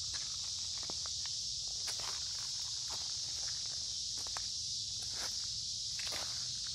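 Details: Noisy cicada chorus in creekside woods on a humid midsummer day, an unbroken high-pitched buzzing wash under frequent crunching footsteps and twig snaps from someone walking.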